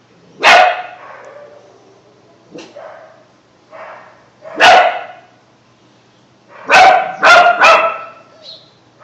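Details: Bunk, a mixed German Shepherd puppy just over two months old, practising his first barking: a loud bark, softer huffs and yips, then a quick burst of three high barks near the end.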